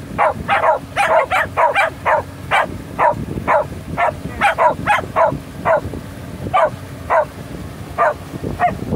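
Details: Shelties howling with joy on the season's first boat outing, several dogs giving quick overlapping yelps roughly twice a second, rising and falling in bursts, engine rumble low in the background.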